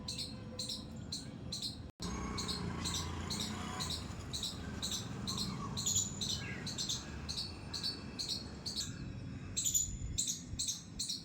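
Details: Squirrel in a terrace garden giving sharp, high squeaks in a steady series of about two per second throughout, with a brief break near the start. Faint whistles from other birds and low background rumble are also present.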